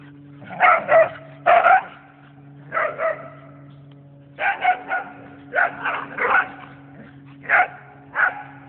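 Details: Two whippets playing tag in a yard, barking in quick paired bursts and short volleys, loud and harsh, with brief pauses between groups and a constant low electrical hum in the background.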